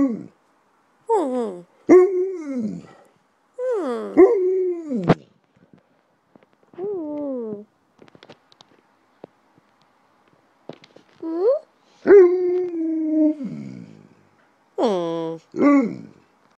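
An Alaskan Malamute vocalizes in long, bending woo-woo howls and moans, sliding up and down with rich harmonics. The calls come in bursts separated by short pauses, with occasional faint sounds between them.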